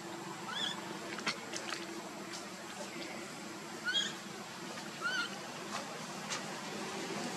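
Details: Baby monkey Luno calling for his father Tum to pick him up: several short, high, arched squeals come at irregular intervals over a steady background hum, with scattered clicks and rustles.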